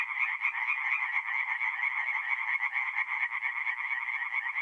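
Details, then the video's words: Many tree frogs calling at night from a forest pond in north-east Italy in mid-April, their fast rhythmic croaking blending into one continuous pulsing chorus. "relaxing forest pond by night with singing tree frogs"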